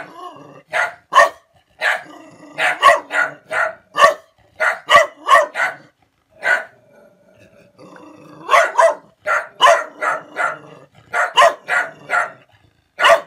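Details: Dog reacting to a stranger with loud, sharp barks in uneven clusters, a quiet gap of about two seconds midway, then renewed rapid barking.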